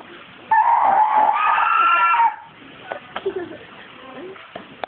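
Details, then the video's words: Seal at Bristol Zoo shouting: one loud, drawn-out, strained wailing cry of nearly two seconds with rich harmonics, then quieter scattered clicks and knocks in the enclosure. "Seal shouting"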